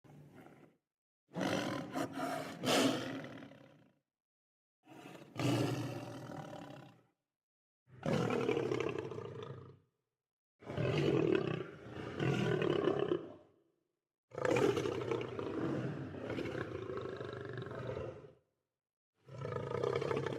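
Heavy, throaty lion roars rumble out in bursts of one to three seconds, broken by brief pauses. Each roar is rough and powerful, rich in low tones, with no other sounds intruding.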